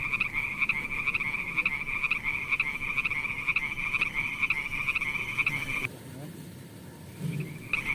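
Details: Frogs calling at night: a dense, high, rapidly pulsing chorus of croaks that holds steady, cuts out abruptly near six seconds, leaving low background rumble, then resumes just before the end.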